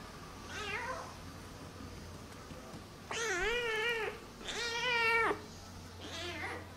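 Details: A rescued feral kitten, Namba, meows indoors: a faint downward call, then two loud, long, harmonic meows that rise and fall, and a softer final cry, over low background hum.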